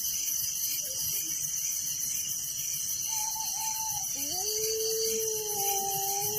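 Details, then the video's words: Crickets chirping at night in a village form a constant high pulsing drone, joined toward the end by drawn-out lower tonal calls from another animal, one rising sharply then holding steady. "Relaxing Night Crickets Sound in Village"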